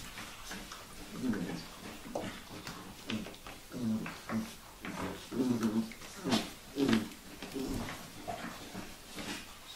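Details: Vizsla puppies, Sejla, indoors, making low, soft grunting and squeaking sounds in short bursts, several overlapping through the whole stretch, with faint rustling and shuffling noises behind them.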